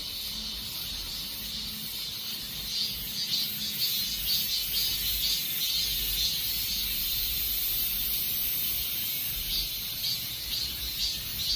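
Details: Cicadas calling as summer passes, a dense, continuous high-pitched buzzing chorus that swells in soft pulses about twice a second, with a faint low hum underneath.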